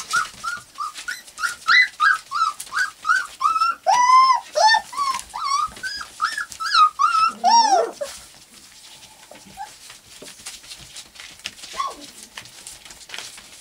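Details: Litter of 4-week-old white golden retriever puppies, English cream type, squealing indoors in a rapid run of short, arched whines about three per second for eight seconds, then quieter with only faint squeaks and soft background sounds.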